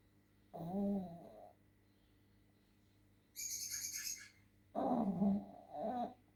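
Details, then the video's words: Sleeping dog snoring during sleep: two low, rasping snore bursts, each about a second long, with a brief high, chirping squeak between them. "Собака храпит во сне"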